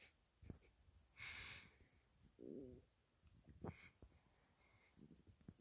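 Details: Dana, a sleeping Shih Tzu, snoring: irregular wheezy snorts and breathy rasps, one longer nasal rumble with a buzzy tonal edge near the middle, then short sharp snuffles toward the end, over a faint steady hiss.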